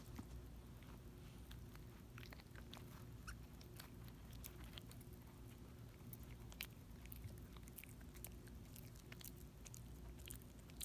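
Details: Quiet small dog gnawing and licking a Dentastix chew in a room, dressed in an orange mesh top; dense crunchy clicks and smacking bursts throughout, with a constant low background hum.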